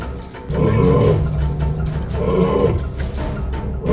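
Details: Lions in a pride at Lion Country Safari, West Palm Beach, Florida, give deep, rumbling roar-grunts in swelling bursts about every one and a half seconds, over a steady bed of background music.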